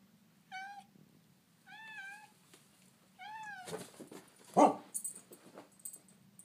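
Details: Little orange tabby male cat standing up to dogs that pick on him indoors: three drawn-out, wavering meows about a second apart, each slightly rising then falling, followed by loud scuffling bursts and thumps.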